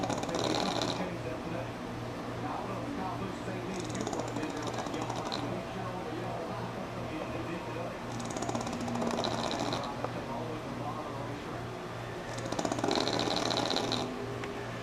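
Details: Sammi, a sleeping pug, snores through a NASCAR broadcast: four raspy, buzzing snores come roughly every four seconds, each lasting about a second, with a steady low hum and television sound between them.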